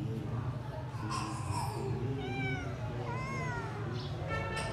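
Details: Stray grey kitten found in a yard on 26 January 2024, wanting to be let into the house; two or three thin, high meows with rising then falling pitch over a steady low hum.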